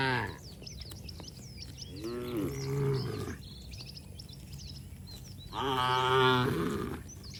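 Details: Moos from cattle romping in mud outdoors, their voices described as cheerful. A shorter low moo around two to three seconds is followed by a strong, rich moo near six seconds, over a steady chorus of chirping birds.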